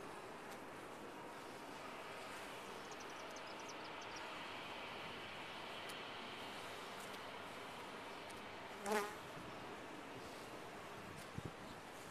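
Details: A colony of bees inside a top-bar hive makes a continuous, even, low-pitched hum. A sharper buzz flares briefly near nine seconds as one bee flies close, and faint high ticks sound early on.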